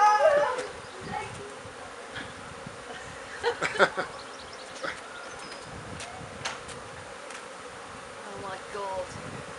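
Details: A new swarm of bees being put into an empty hive by a beekeeper: a steady, dense hum of many bees, with brief knocks and clicks from handling and a voice near the start and end.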